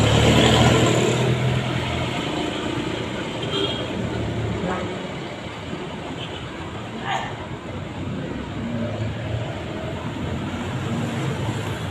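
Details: Outdoor traffic roar and wind-like noise with faint voices, with no animal sound heard.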